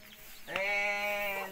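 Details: Jumbo Limousin and Simmental cattle raised on a village farm in Gowa Regency, South Sulawesi, Indonesia; a single steady, strongly harmonic mooing call lasting about a second, rising in sharply and holding an even pitch before fading.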